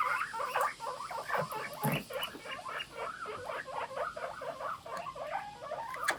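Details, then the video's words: Group of pet guinea pigs squeaking together in the morning, quick repeated chirpy wheeks in an irregular overlapping stream, with a short low thump partway through. "モルモットの鳴き声 ぷいぷい大合唱"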